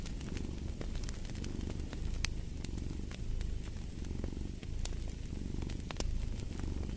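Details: Steady low cat purr, a grainy rumble rising and falling with each breath, mixed with the crackle and snap of a fireplace fire.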